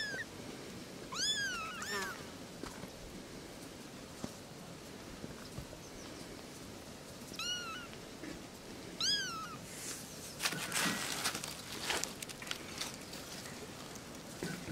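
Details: Three little kittens talking: a few high, arched mews come in short bursts early on and around seven to nine seconds, then rustling and handling noises take over in the second half.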